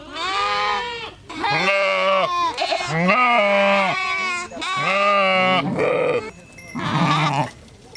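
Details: Sheep bleating in a series of loud, wavering baas, each a second or so long with a rich buzzy tone, some rising then falling in pitch, one shorter harsher bleat near the end; no other sounds.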